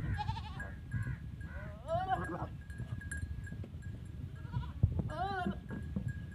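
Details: Repeated goat bleats, three or four nasal, trembling calls with strong harmonics, as a goat is mated for the first time with a teddy goat in Punjab, Pakistan; background rumble, scuffling and a steady hum.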